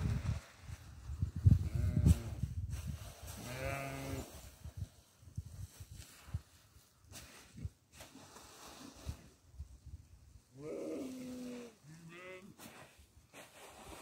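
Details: Bleating goat given barley: a drawn-out quavering bleat early on, then after a pause two shorter, higher wavering bleats in quick succession, amid thuds, clatter and munching noises.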